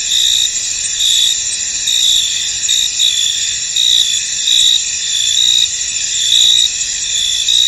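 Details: Crickets chirp across a misty field, a thick high-pitched trill broken by louder pulsing chirps that come roughly once a second, with no other noticeable sounds.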